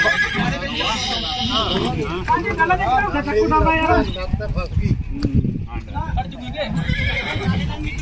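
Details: Young filly whose leg got trapped in a vehicle while being unloaded, whinnying in quivering, wavering bursts around the middle of the recording, overlapped by people talking loudly and hoof clatter.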